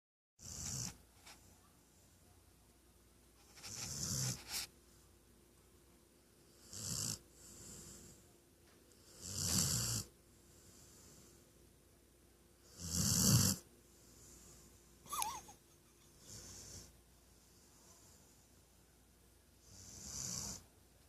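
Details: Female Weimaraner snoring loudly while napping; rasping breaths with low rumble and hissy highs come roughly every three seconds, some louder than others, with a few small extra snorts between them.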